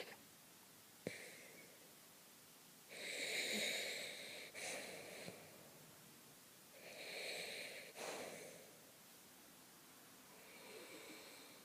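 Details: A French poodle named Misha snoring: breathy, wheezing snores in two-part bursts, each a rasping draw followed by a hoarse release, recurring about every four seconds in a quiet room, with a faint click near the start.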